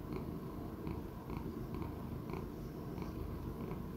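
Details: Sixteen-year-old male Persian Chinchilla cat purring indoors: a continuous low rumbling drone with soft, evenly spaced faint clicks on top.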